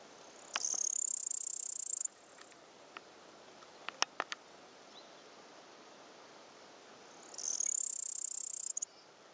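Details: A male cricket, possibly a nymph, spotted in Upper Bavaria (Oberbayern), gives two high, shrill trilled bursts, each lasting over a second.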